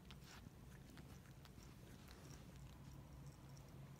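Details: Kitten nicknamed the crusher princess, Koharu or Hatchan, in February 2017, shortly before leaving for her adoptive home. A steady, low rumbling purr runs throughout, with faint soft clicks above it.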